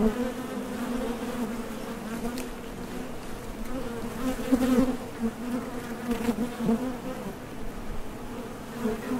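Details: Continuous low buzzing of many honey bees at a Top Bar Hive entrance, workers departing for and returning from nectar foraging, the hum swelling slightly midway.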